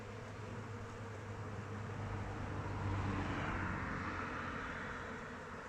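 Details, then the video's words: Many honey bees in flight around the hive in open weather make a continuous deep hum that rises gently in loudness toward the middle and eases off, with no other clear sounds. "Bees flying around hive"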